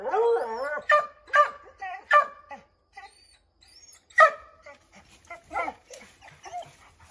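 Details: Redbone Coonhounds treeing a chipmunk in an oak tree: a wavering opening howl followed by a string of sharp barks, a short pause, then more scattered barks of varying loudness.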